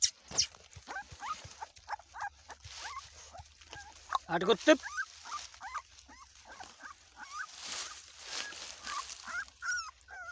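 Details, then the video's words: Bullmastiff puppies, Ladoo's newborn litter, giving short, high squeaky whimpers that rise and fall, many overlapping in quick bursts, with human talking and rustling around them. "Ladoo KY bachy b aagy .Bully Mastiff dog Breed"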